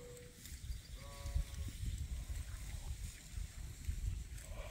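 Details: Frisky ram at Ewetopia Farms, said to call a lot when in that mood, gives a short wavering bleat after a brief steady tone, against low rumbling farmyard noise and people talking nearby.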